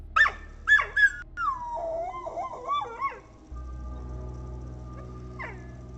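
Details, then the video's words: Protective, aggressive female dog at a house, barking as a two-legged figure approaches and sounding unlike her usual self: three sharp barks in the first second, then drawn-out wavering whine-like cries, fading into a steady low hum. "my most protective and aggressive dog is barking but she's never sounded like this before"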